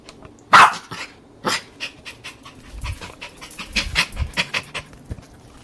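A Jack Russell Terrier gives a sharp bark, then a softer one, followed by quick panting breaths.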